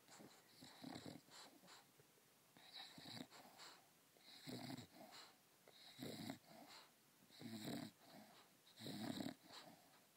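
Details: Leidy, a female English Bulldog, sleeps while sucking a teddy bear like a baby's pacifier, producing loud, regular wheezing snores roughly every second and a half, each breath a raspy, nasal rush with faint squeaky overtones.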